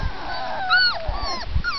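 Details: Whimpering from four-week-old Labrador Retriever puppies: thin, high, whistled whines that slide downward, overlapping, with soft low thumps and a person speaking gently nearby.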